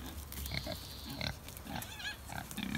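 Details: Kunekune pigs kept in a backyard, walking to breakfast at feeding time: short, scattered low grunts with a few higher nasal squeaks, and a person speaking over them.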